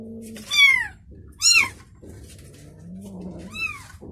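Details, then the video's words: {'caption': 'Domestic mother cat lying with her newborn kitten: three high, thin, arching mews, each rising then falling, at about 0.6, 1.5 and 3.6 seconds, with a soft low murmur between them.'} "Mother Cat Said To Newborn Kitten"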